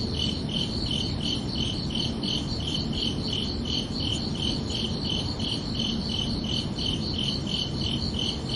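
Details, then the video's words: Summer-night crickets giving clear, ringing chirps in a regular beat of about three per second, each pulse sharp and high, with a faint low background murmur beneath. "Calming Cricket Sounds for Relaxation"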